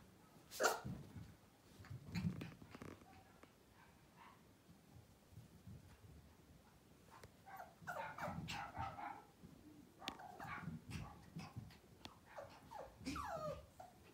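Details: Miniature Poodle puppies, ten weeks old, in North Carolina and ready for new homes, giving scattered short yips and small barks over a quiet background, with clattering and rustling noises between the calls.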